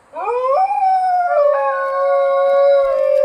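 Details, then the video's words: A wild Australian dingo gives one long, rich howl that swoops quickly upward, breaks slightly lower partway through, then holds a steady mid-pitched note to the end. "Dingo sounds"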